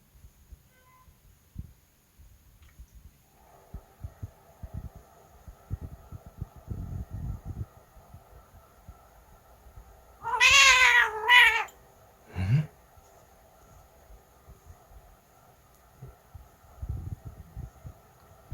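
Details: Pet cat indoors gives one drawn-out, slightly rising meow with a clipped second mew right after, then a short low grunt; the rest is a quiet room with soft rustles and thumps.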